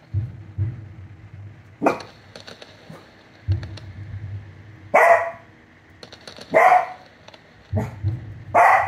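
An American Cocker Spaniel barks in short, sharp bursts, with low rumbling booms of fireworks between.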